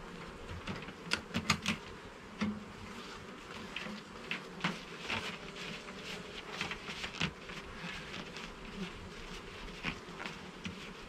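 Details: Garden beehive opened for inspection, honey bees humming as frames are handled: a continuous low buzzing drone under frequent sharp clicks and knocks of wood and equipment, busiest in the first few seconds.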